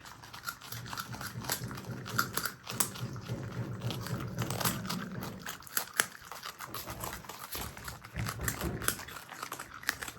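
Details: Indoor pet marmot brothers, Himalayan and Alpine marmots, munching food; rapid steady crunching about three to four bites a second, with low rumbling handling sounds.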